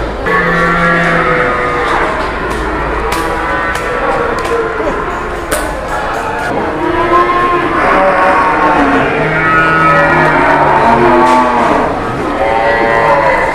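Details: Cattle that arrived for sale and were sold within minutes; deep sustained moos appear near the start and again later, set against constant talking and the general din of many people.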